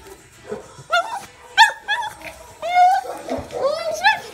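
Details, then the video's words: A female Pekingese, just picked up after two nights in a kennel, cries in high, wavering whines that rise and fall, excited to greet her owner, while a person speaks softly. "Roxie the Pekingese crying!"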